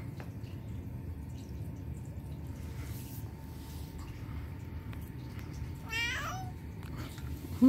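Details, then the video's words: Turkish Van cat, a pet indoors, giving one short rising-falling mew near the end over a faint steady hum and quiet room noise. "Turkish Van Cat Bobby Mews Cutely"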